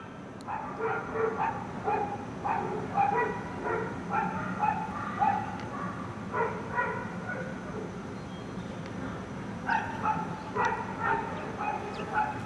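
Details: Dogs barking in an animal shelter, where a dog named Buttermilk was rescued hours before being killed. Sharp, tonal barks and yips come in irregular bursts, roughly two per second, over a steady low hum.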